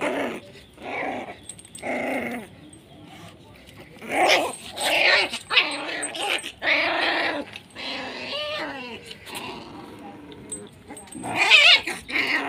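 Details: Aggressive Pit Bull puppy of the SHERA bloodline at Nanu pitbull farm, giving a run of short, harsh harmonic barks, roughly one each second. A falling, whiny yelp follows near the end, with faint background noise between calls.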